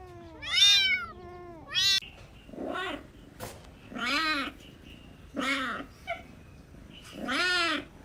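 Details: Kittens chasing butterflies on grass meow repeatedly: two sharp, high-pitched cries open, followed by about five longer, lower, drawn-out meows at irregular intervals.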